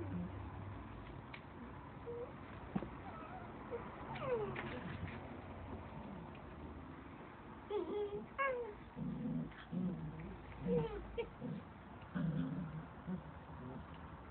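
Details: Standard Poodle puppies, the litter of a mother named Sara, born February 25–26 and kept at a dog cafe, playing indoors; short high squeaky whines with rising and falling sweeps, mixed with human voices and soft scuffling.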